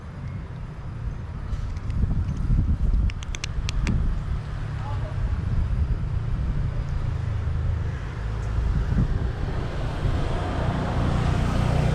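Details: Steady low traffic rumble and wind noise fill the recording, with a few brief clicks near the start. No animal call can be picked out.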